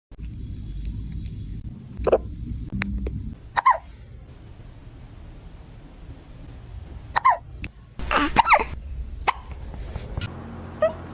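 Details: A cat hiccuping after eating its food too fast: short, sharp, clicky spasms at irregular intervals of one to four seconds, about six in all, over a low hum early on and a brief noisy burst near the end.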